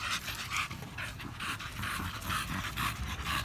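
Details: American Bully named Samson exercising at a gym, panting in quick rhythmic breathy bursts, roughly two per second, steady throughout, with a Spanish-speaking voice nearby and indoor gym background.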